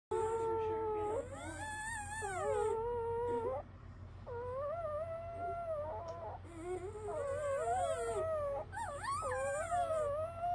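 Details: Newborn Great Pyrenees puppies in Alaska, born January 26, 2023: long, wavering whines and squeals that rise and fall, several overlapping cries in a row with brief pauses, faint low hum beneath.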